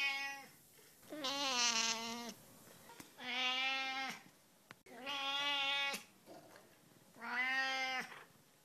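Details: Lamb-like cat calling four long, steady, nasal bleating meows, each about a second long, spaced roughly every two seconds in a quiet room.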